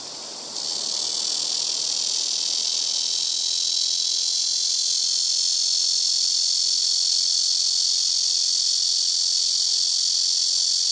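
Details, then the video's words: Korean cicadas (Cryptotympana atrata) in trees by a house rooftop fill the air with a loud, steady, high-pitched buzzing drone that barely wavers. "시끄러운 매미우는소리"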